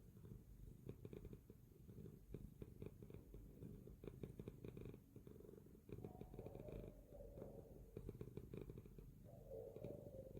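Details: A sleeping cat purrs in a steady low throbbing rumble throughout, with brief faint tonal hums appearing in the second half.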